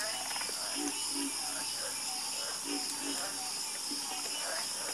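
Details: Croaking frogs in chorus, with short, low, burbling notes repeated irregularly, partly masked by a loud, steady, high-pitched insect-like whine across the whole recording.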